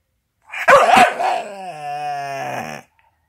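A Staffordshire Bull Terrier makes a warbling, talkative moan that breaks into a long, wavering whine.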